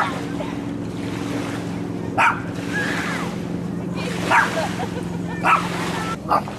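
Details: Dog barking, recorded handheld on a Sony FDR-AXP55 camcorder: four short, sharp barks spaced irregularly over several seconds, over a steady low hum and constant background rush.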